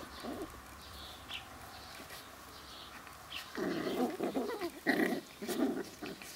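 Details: Sealyham Terrier puppies, seven weeks old, playing outdoors on a hot summer day at a kennel; short rough growly yips in bursts, quiet at first then louder clustered calls, birds chirping faintly in the background.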